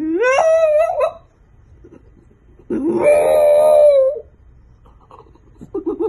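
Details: French bulldog puppies, cute compilation: a rising yowl that climbs and breaks off, silence, then a long steady wavering howl lasting over a second, followed by faint whimpers.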